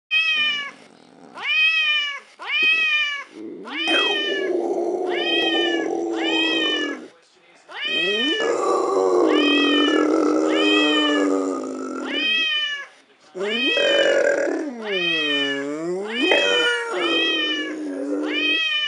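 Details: A female American Staffordshire Terrier, prompted by a phone dog-teaser app, howls for the first time in long, wavering, drawn-out tones broken by short pauses.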